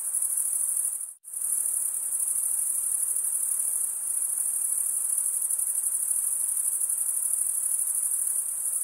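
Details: Crickets stridulating, males running one wing over the serrated vein of the other. The very high, fast-pulsing trill cuts out abruptly for a moment near the first second, then resumes unbroken and steady to the end.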